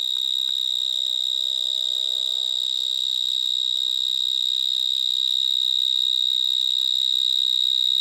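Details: Vineyard mole crickets (Gryllotalpa vineae), many of them, stridulating from small holes in the soil of a vineyard in Gironde, France. A very loud, unbroken high-pitched trill holds one steady pitch with faint overtones, with a few soft lower tones early on.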